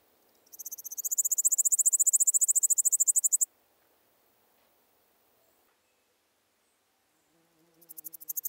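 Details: Pholidoptera littoralis bush-cricket singing at Seewiesen, Germany, on 11 July 2023: a roughly three-second train of rapid, evenly pulsed high buzzy chirps, then silence and a second burst starting near the end.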